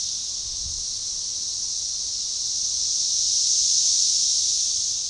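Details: Magicicada tredecassini, periodical cicadas in an organized, synchronizing chorus near DeValls Bluff, Arkansas, on June 7, 2015, forest edge by a baseball trail; steady shrill hissing drone that gradually builds and then eases slightly.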